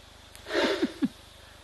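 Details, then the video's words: A rhinoceros at a waterhole in the Eastern Cape gives a breathy, forceful puff followed by two short, low grunting snorts while warthogs are nearby at the water. "You hear that rhino puff."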